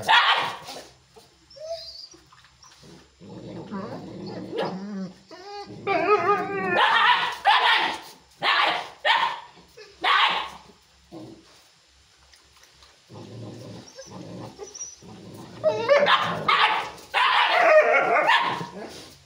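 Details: Aggressive Chippiparai dog barking in loud, irregular bouts, with harsh, broadband barks separated by short gaps, some brief high whining notes between them, and a final cluster of rapid barks.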